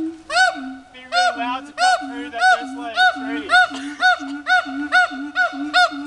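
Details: Captive pair of siamangs showing off at Dubbo zoo: evenly spaced, ringing arched barks about every 0.6 seconds alternate with short low hooting tones in a regular rhythm.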